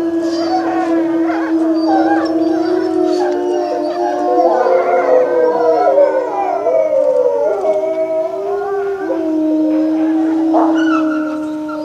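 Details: At a zoo with snow on the ground, several gray wolves howl together in long, sustained tones that waver and overlap.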